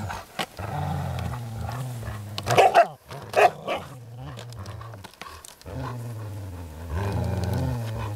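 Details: Groenendael dogs at play with resource guarding, giving sustained deep growls that swell and fade, broken by a couple of louder snaps or scuffles around the middle.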